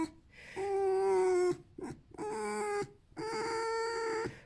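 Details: Tame male red fox, happy and content rather than in pain, squeaking because he wants to be hugged and petted; three long, steady, whiny squeaking tones, each lasting about a second, with brief breathy sounds between them.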